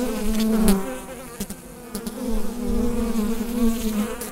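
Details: Honey bees buzzing inside a hive, recorded with a USB microphone: a dense, steady drone with overlapping wavering hums, loudness swelling and dipping, and a few faint clicks and knocks.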